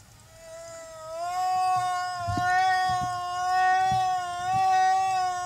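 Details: Humpback whale escort singing beside a mother and calf at Silver Bank, Dominican Republic, April 2015: one long steady tonal moan with many even harmonics, gently wavering in pitch, with faint low thumps underneath.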